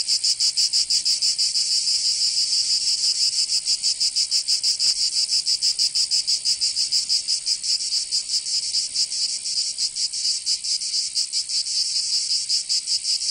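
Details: Chorus of cicadas in a Provençal summer, southern France: harsh high buzzing that pulses fast and somewhat unevenly for the whole stretch, loud and unbroken, with no birds or people.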